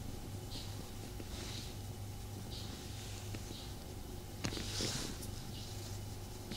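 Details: Low rumbling purr from the cat Tommy as he snuggles with his owner, with soft repeated breathing hisses and a brief louder rustle just after four seconds.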